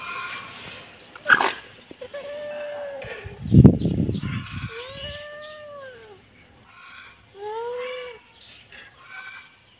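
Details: Kitten meowing: several drawn-out, arched meows, each rising then falling, spaced a couple of seconds apart, with a loud thump and brief rustling noises between them.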